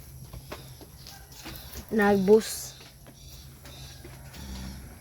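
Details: Goat in a Philippine backyard herd that has grown with newly born kids; one wavering, quavering bleat near the middle, about half a second long, with a man talking quietly before and after.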